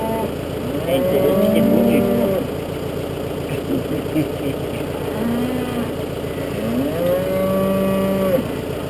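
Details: Galloway cattle at a farm's suckler-cow feeding with a wild Galloway bull present: long, drawn-out moos, one held nearly a second and a half, then a shorter call and another long one, over constant engine hum.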